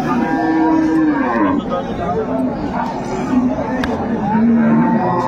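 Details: Cattle at Ambari haat market in Dinajpur, 25/8/25, where dairy cows and young calves are on sale: two short, low, flat lowing calls at start and end, half buried under bargaining voices and crowd noise.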